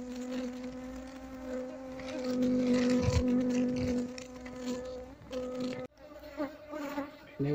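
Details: Asian honey bees (Apis cerana) disturbed during removal from a hollow log, their combs taken while the queen hides in the cavities; dense, loud, sustained droning buzz that swells, with brief knocks and cut-offs toward the end.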